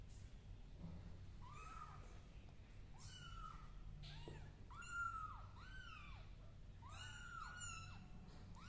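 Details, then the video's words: Several kittens on a carpet mew in a rapid series of high, thin, downward-curving cries, roughly one per second, layered over one another above a faint low room hum. "The kittens crawling on the carpet and meowing are so cute"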